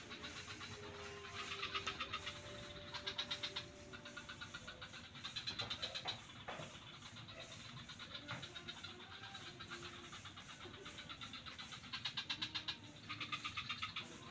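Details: Frogs calling in swamps near Kuta beach, Bali: bursts of rapid, raspy pulsed croaks rise and fade every second or two, overlapping into a dense chorus over a steady low background hum.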